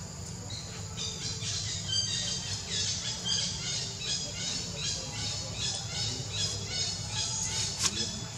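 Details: Baby monkey named Leo, hungry and crying to beg its mother for milk; shrill, squealing cries with stacked overtones repeat two to three times a second over a steady high insect drone and low background rumble.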